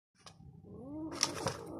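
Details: Kurilian Bobtail kitten growling after catching a mouse, indoors: a low, wavering rising growl with tonal bands, then broadband hissy bursts near the end; a faint click early on.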